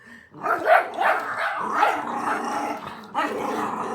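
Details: A puppy that has just found her bark gives a run of sharp, rough barks, some with a growly edge.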